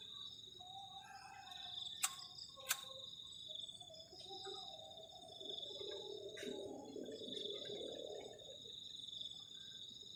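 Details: On a cold night at a garden camp shelter, crickets keep up a steady high-pitched trill while two sharp clicks sound near the start and a soft, lower murmuring noise swells midway.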